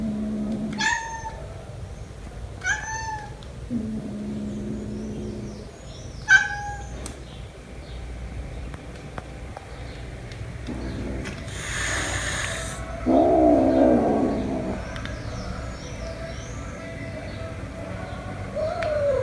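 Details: Kitten Jumper meeting his mother cat again after a month apart. Three short, bright meows arrive about two seconds apart early on, then a low droning tone, a brief noisy rustle and a few fainter mews over quiet background hum.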